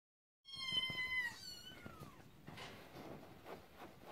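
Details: Scottish Fold kitten giving one clear, drawn-out meow that holds level and then bends downward, followed by soft rustling and faint background noise.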